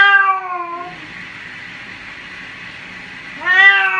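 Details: Domestic cat meowing while being bathed: a loud drawn-out meow that dips downward at the start, steady hissing background noise, then a second rising-and-falling meow near the end.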